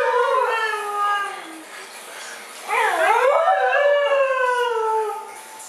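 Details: Mishka and Laika, two dogs in a back-and-forth argument, give a long falling moan, then a sudden wavering, yodel-like rise and fall that trails into a sustained whine.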